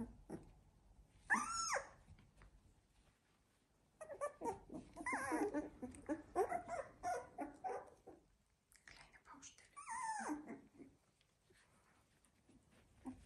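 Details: Labrador Retriever puppies sixteen days old give short, arched, whining squeals in scattered bursts, with a denser cluster in the middle, separated by quiet pauses indoors.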